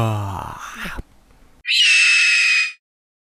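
A rabbit gives a thin, high, hissing squeak as it yawns, just after a person speaks.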